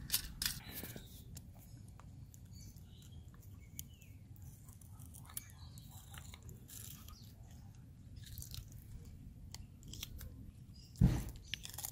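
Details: Quiet indoor room with soft chewing and crunching clicks and a sharp knock near the end; no animal voice evident.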